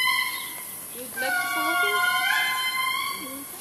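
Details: Indri lemur in Analamazaotra National Park, Madagascar, giving drawn-out harmonic wails that rise, hold and slide down, with a second lower voice overlapping; faint background rustle.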